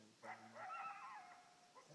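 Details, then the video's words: Coyote answering an electronic caller with a short wavering howl that rises and then dips over about a second, with a faint second yip at the end. "Coyote howling and barking"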